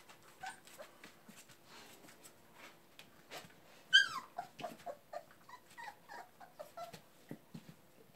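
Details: Labrador Retriever puppies at playtime, from a breeder in West Salem, Wisconsin: one sharp, high squeal slides downward, followed by a run of short, quick yips and whimpers against soft indoor rustling.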